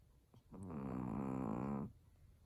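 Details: A pet Chihuahua asleep indoors, snoring like an old man: one long, steady, harmonic rasp lasting just over a second, with low buzzy layers and a slight waver in pitch, in a quiet room.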